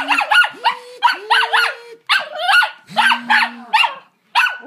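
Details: Young pet dog, ten months old, reacting to a vacuum cleaner it dislikes. Rapid, harsh, rising-and-falling barks come in quick clusters over a steady low droning tone from the machine.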